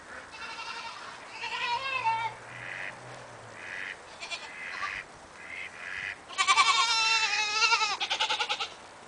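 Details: Several bleats from Cameroon goats overlap, some harmonic and quavering, others short and nasal. A loud, trembling bleat near the end breaks into rapid pulses.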